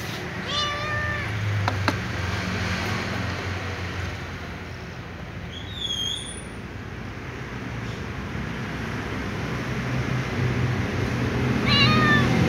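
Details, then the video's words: Small ginger cat begging for dry food. One whiny meow comes near the start and another near the end, separated by a long stretch of low rumbling background hum. A brief high chirp sounds midway. "The little ginger cat meows and whines for something, namely dry food"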